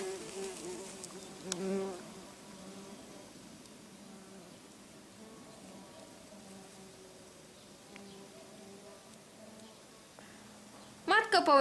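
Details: Buff-tailed bumblebees, workers of a relocated colony, flying back to their nest. A steady low buzz with stacked harmonics drones throughout, swelling briefly near two seconds, before a short bright musical burst at the end.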